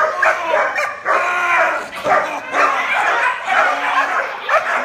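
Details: Icon, a young German Shepherd with puppy training, barks in a rapid, uneven series of loud, harsh barks, roughly one per second, with no other clear sounds.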